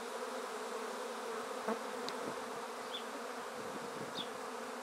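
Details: Honey bees of a swarm collected into a swarm basket from a tree, top bars in place. A steady, full-bodied hum with a couple of brief high chirps and a light tap over it.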